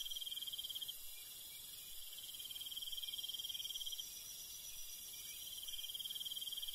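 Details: Crickets and other night insects in the countryside at night: a high, pulsing trill in bursts of about one to three seconds with short gaps, over a steady shrill insect hum.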